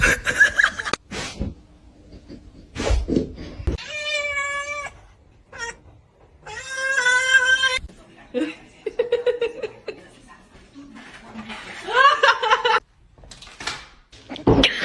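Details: Domestic cat meowing several times: loud, drawn-out meows with rich harmonics, some rising and falling, separated by short gaps, with music, laughter and bits of human speech in between.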